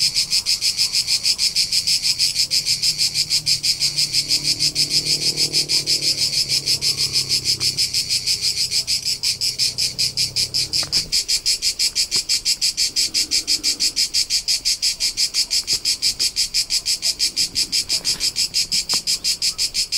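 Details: Steady high cricket chirping from the Tuscan hillsides of central Italy, taped in summer during a road trip; rapid evenly spaced pulses run unbroken throughout, over a soft low droning hum that fades after the first half.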